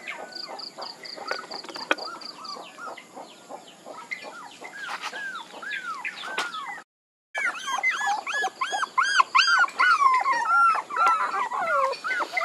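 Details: Puppies whimpering and yipping: a dense run of high, thin whines, many rising then falling, overlapping one another. A short silent gap comes midway, and a steady row of faint high beeps sounds near the start.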